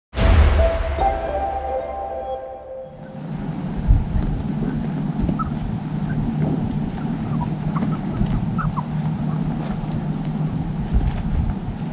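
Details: A sharp burst at the start gives way to steady low rumbling, wind-like noise with faint scattered blips and no clear animal calls.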